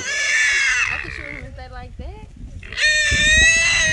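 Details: Trapped small wild hogs, three of them in a small trap. A harsh, high squeal opens, then quieter wavering grunts and low moans. A second loud, piercing squeal rises near the end.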